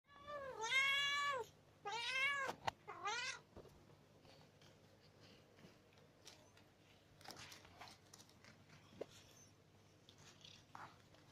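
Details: Ginger cat waiting at the door and asking for a treat: three loud, drawn-out meows in the first three and a half seconds, the first long and wavering, then quieter rustling and faint clicks indoors.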